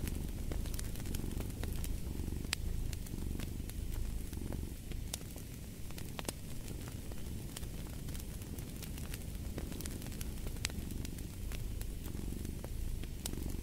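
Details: Soft, steady rumble of a purring cat, partly masked by dense popping and crackling from a fireplace.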